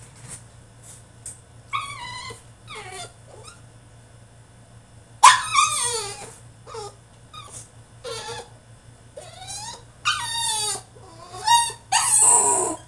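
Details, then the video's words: A French Bulldog throws a tantrum in his cage: falling whimpers, loud yelping screams and strained, gravelly cries tumble out in quick uneven bursts, growing louder toward the end, with a low background hum. "FRENCH BULLDOG THROWS TANTRUM IN HIS CAGE!!"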